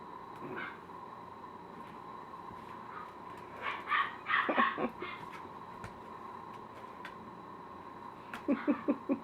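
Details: Klondike, an eight-week-old puppy in training, indoors and reacting to his reflection in a mirror: a burst of high, harmonic yips and short barks midway, then four quick yelps at the end, with a person's voice nearby.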